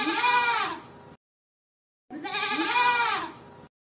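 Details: Boer goat buck, from 2023, giving two loud, harsh, wavering bleats, each about a second long and separated by a short silence.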